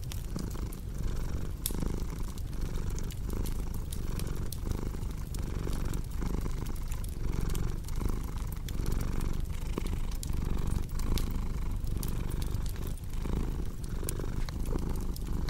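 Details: Steady domestic cat purr, a low vibrating drone with regular breath-paced swells, accompanied by frequent sharp clicks and pops from crackling firewood.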